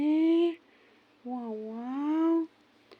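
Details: A female kitten who wants to sleep lets out a short meow, then after a pause a longer wavering meow that dips and rises again, with a low hum in the background.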